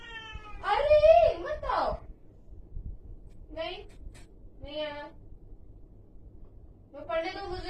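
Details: Angry cat letting out a loud, twisting yowl at the start, then several shorter, lower moaning calls at uneven intervals, with a final drawn-out wail near the end; quiet background between calls.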